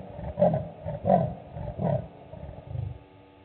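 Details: Male leopard walking by on patrol at Gowrie dam waterhole, Djuma Game Reserve, Sabi Sand Wildtuin, South Africa, 00:35 on 19 June 2019, recorded by a live waterhole camera: deep rough rasping grunts, about five, roughly every 0.7 seconds, fading out.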